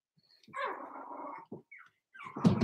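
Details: Four-week-old Cavalier King Charles Spaniel puppies in their pen: one drawn-out, rough, whiny growl lasting about a second, a short grunt, then a louder scuffling burst at the end.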